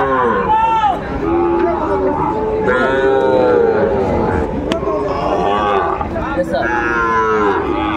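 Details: Sahiwal bull calves at a cattle market in Comilla, Bangladesh, on 10 March 2024; several long, loud overlapping moos with rich harmonics, some rising then falling, from more than one animal, amid crowd murmur.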